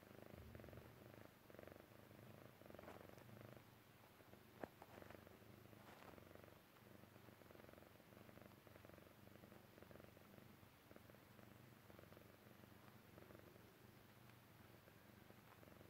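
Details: A relaxed Chinchilla Persian kitten purrs steadily while falling asleep, a low rhythmic rumble pulsing with each breath.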